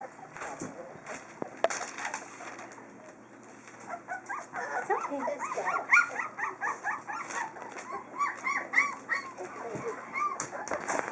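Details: Chinook puppies from a litter at feeding time, recorded February 12, 2012, giving many overlapping high, arched squeaky whines in rapid succession, growing busier midway, while a woman speaks softly nearby.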